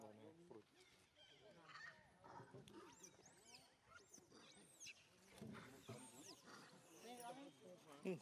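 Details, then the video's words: Young monkey Leo screams while his mother Libby abuses him and he runs toward a big monkey. High, arching screeches rise and fall several times midway and again near the end, over lower chattering and voices. "big screechig so bad mum Libby abusing Leo big scream"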